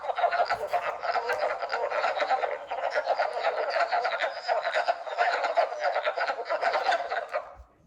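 Wood frogs give a steady chorus of rapid, hoarse clucks, like distant quacking ducks.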